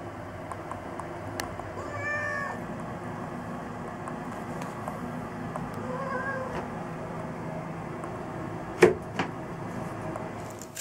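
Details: Hatch, a five-year-old female black-and-white hachiware pet cat who loves baths and plastic bags, gives two drawn-out meows about four seconds apart over a steady rushing background noise, with a sharp knock near the end.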